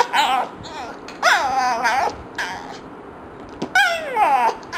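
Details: Frustrated at fart sounds, Yumi the dog lets out three drawn-out, warbling whines, each sliding downward in pitch, separated by short pauses.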